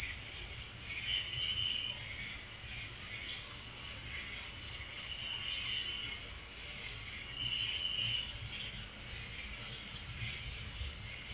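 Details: Crickets chirping at night: a continuous, shrill, high-pitched trill holds steady throughout, with fainter wavering buzzy notes drifting in and out below it.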